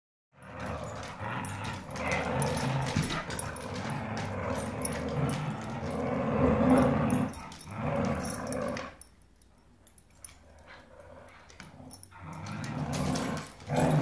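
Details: Dogs fighting over a rope toy, growling in long rough low rumbles that run almost continuously for nine seconds, then a quieter pause before the snarling resumes, with scuffling noises throughout.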